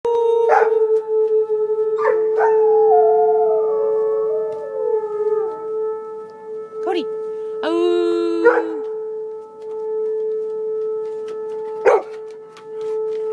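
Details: Alaskan Malamute howling at a tornado siren: long sliding howls that fall gradually in pitch, followed by a shorter rising yowl, set against the steady, unbroken drone of the siren with a few sharp knocks.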